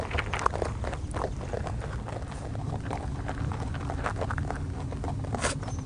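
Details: A rabbit on Okunoshima, Rabbit Island, in Hiroshima Prefecture, Japan, chews with quick, irregular crunching clicks over a low background rumble.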